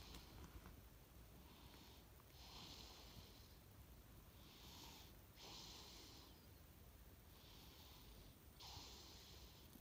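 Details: Deeply sleeping cat snoring while twitching as if dreaming; soft breathy rasping bursts every two to three seconds over a faint steady background hiss.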